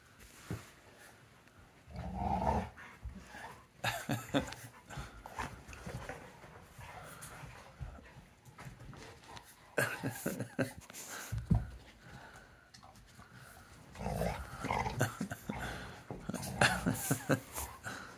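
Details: Zeus, an American Pit Bull Terrier, tussling with his brother for his ball at home; bursts of deep, rumbling growls and huffing pants come in uneven waves, with occasional laughter in the background.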